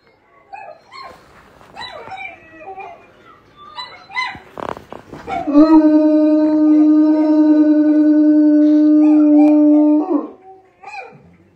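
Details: Howling bloodhounds that howl when excited as a way of communicating: rough, wavering yelps and whines build up, then one loud, long, level howl holds for about five seconds before breaking off into quieter whimpers.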